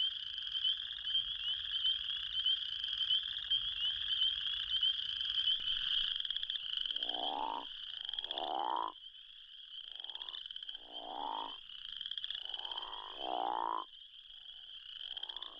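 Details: Crawfish frog from Arkansas giving low, rasping snore-like calls that rise in pitch. About seven seconds of steady, high spring peeper and chorus frog trilling come first, then the snores repeat roughly every one to two seconds over the chorus.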